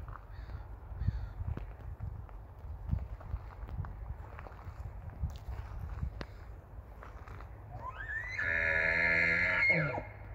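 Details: Big bull elk marking territory at the Whistlers campground in Canada. It gives one high, whistled bugle near the end, sliding upward and then holding, after a stretch of low rumbling background with scattered clicks and knocks.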